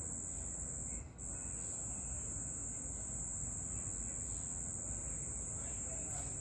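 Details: Night cricket giving a constant high-pitched trill, with a short gap near the start, over a noticeable bed of low background noise.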